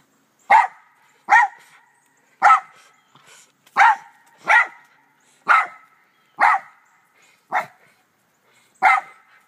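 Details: Doe the black Terrier barks in a back yard shared with two white Rat Terriers; nine clean, punchy barks repeat roughly once a second in a steady rhythm over quiet surroundings.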